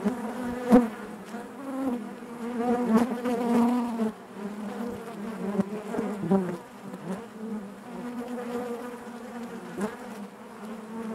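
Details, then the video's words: Hive interior full of honey bees: a constant, thick buzzing hum, steady in pitch, with occasional close wingbeat bursts standing out from the massed drone. "bees therapy hive natural buzzing sound"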